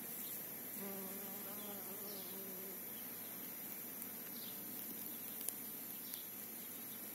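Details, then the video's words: A bee on a trip to the field among apple and calendula at Vikos; a low, steady droning buzz with humming overtones swells for about two seconds, while small birds chirp faintly and high in the background. "Η εκδρομή της μέλισσας, The bee's trip to the field"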